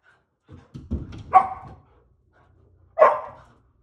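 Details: Poodles impatient to go play outside bark indoors: a few low scuffles and a rough bark, a pause of over a second, then one more sharp single bark fading quickly.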